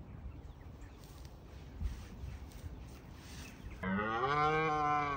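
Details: Red deer stag in Bushy Park, rutting season: after several seconds of quiet outdoor rumble, a single deep, harmonically rich roar begins abruptly near the end. Stags roar to deter rivals.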